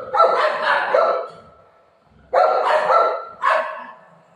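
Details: Golden retriever Buzo playing with mom at home, giving two bursts of loud, harsh barks, each a quick pair or triple of rough yelps, with a silent gap of about a second between bursts.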